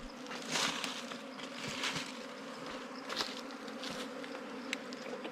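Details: Quiet, even hum of wild bees around a nest being harvested during honey hunting season, with scattered clicks and rustles over the drone.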